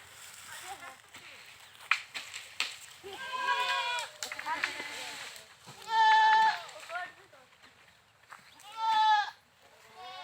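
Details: Goats bleating in loud, wavering, nasal cries that rise and fall, three main bleats spaced a few seconds apart, with softer calls and clicks between them.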